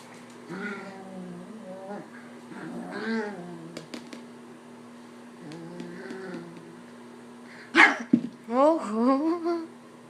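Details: Pet puppy playing indoors, making funny noises, growling and slapping at its owner. Low wavering harmonic grumbles come in short bursts, then louder rising whiny yelps near the end while a person talks to it about getting its ball.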